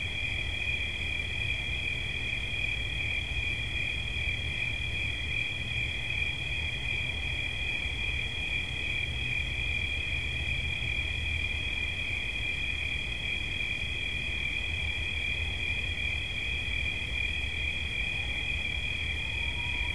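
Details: Crickets singing a constant, piercing trill on two overlapping high tones for the whole stretch, with low rumbling noise underneath and a faint rising tone near the end.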